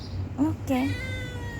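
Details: Stray cat begging for food, giving two short meows in quick succession, the second slightly longer and falling, over a low steady hum, with a person's voice nearby.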